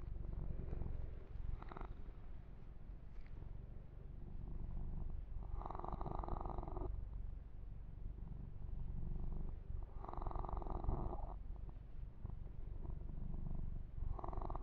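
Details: Massaged male kitten named Yumak purring contentedly for an ASMR session; a rich low-pitched purr continues without pause, with louder rustling strokes of fur grooming recurring every four to five seconds.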